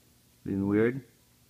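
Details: Puppy Marley, a dog, making a goofy noise while scratching her ear indoors: one short, harmonic, whiny moan lasting about half a second, wavering then rising in pitch, in a quiet small room.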